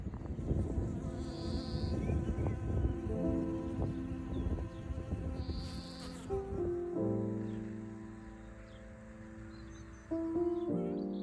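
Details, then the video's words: A black bee buzzing outdoors in spring while children watch: a low, steady droning hum with layered tones that shift pitch around the seventh and tenth seconds, faint voices and outdoor noise in the first seconds. "En bie! Ja! En bie. Liker du det? Veldig hyggelig! Han er svart! Å det surrer!"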